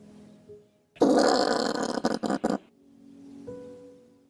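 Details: Common brushtail possum (Trichosurus vulpecula) giving a harsh, rasping grunt lasting over a second and ending in a few choppy pulses, with soft background music before and after.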